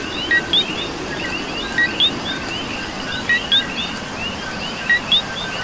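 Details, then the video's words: Puerto Rican coqui heard during rain, its two-part call, a low short note leaping to a high rising whistle, given four times at roughly 1.5-second intervals, backed by many fainter coquis and constant rainfall. "Coqui and Rain"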